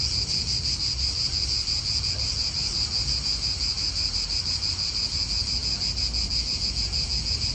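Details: Steady cicada chorus in an Italian park: a dense, high, shimmering buzz that never pauses, with soft wind and distant low traffic-like rumble beneath.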